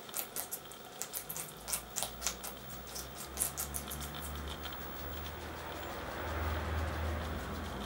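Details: Guinea pigs Poopie, an agouti, and Nacho, white and brown, eating red pepper together: rapid, fairly regular crunchy bites for about four seconds, then quieter munching over a low background rumble.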